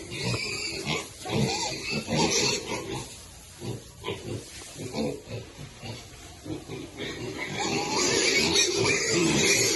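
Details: Baby pigs eating happily, giving short, rough grunts in quick irregular bursts, roughly two a second, with some louder, noisier rustling and chewing toward the end.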